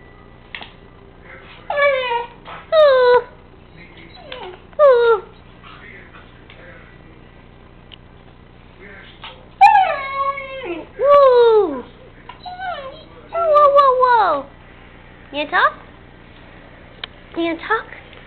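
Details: Three-month-old puppy named Sam doing his half-whine, half-howl talking: a series of short, harmonic, downward-sliding whimpers and drawn-out howly wails, some wavering, in bursts separated by quiet pauses.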